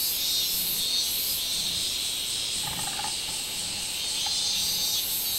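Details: Robust cicada (minminzemi) singing on 24 July 2016: a dense, steady high buzzing band with brighter pulses that swell every second or so, and a brief faint lower tone near the middle.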